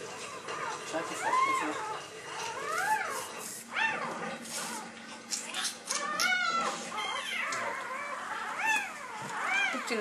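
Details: Newborn red female Labrador Retriever puppy, the last of a litter of eight, squeaking right after birth: thin, high whining cries that rise and fall in short arcs, repeated irregularly, with people talking nearby.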